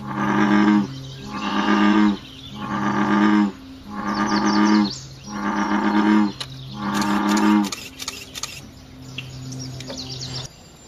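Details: Night chorus of frogs in natural surroundings: a run of loud, low, buzzy croaks repeats about every second, then fades to weaker calls. Scattered clicks and thin high chirps follow over a steady low background hum.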